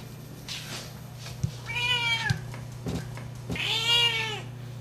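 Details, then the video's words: Female Siamese cat, aged 12, calling for love: two loud, strained meows about two seconds apart, each rising then dropping in pitch, with a faint earlier cry, soft knocks and a low background hum. "Loud Siamese Cat - Part 2 - Sienna is looking for love"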